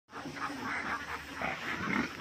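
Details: Young pig, a piglet, giving a steady run of harsh, broadband grunting and squealing noises that swell and fade over about two seconds, with no other clear sounds.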